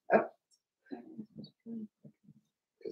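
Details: Four-week-old Cavalier King Charles Spaniel puppies from Daisy's litter in their indoor pen: one sharp yelp, then a string of short, low, grumbling yips and whimpers spaced a fraction of a second apart.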